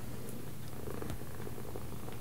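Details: Pet cat purring while being given left and right commands indoors; a deep, even rumble holds unbroken for the whole stretch, with a few faint brief clicks above.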